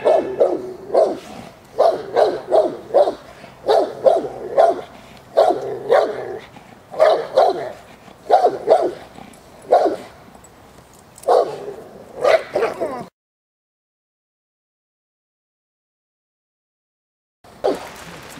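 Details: Presa Canario J7's Kelly, a female of the Irema Curto line, working in protection training at the De la Arena field in Germany. Deep, loud barks come in quick bursts of two to four for about thirteen seconds, then silence, then one final bark.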